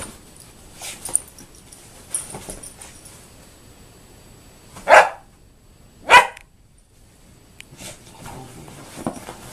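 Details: German Shorthaired Pointer indoors giving two short, sharp barks about a second apart midway through, with quieter shuffling and faint noises before and after.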